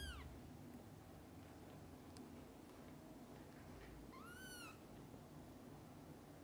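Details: Mother cat with her kittens, from birth to eye-opening: two short high meows, one at the start and a rising-falling one near four seconds, over steady low background hum.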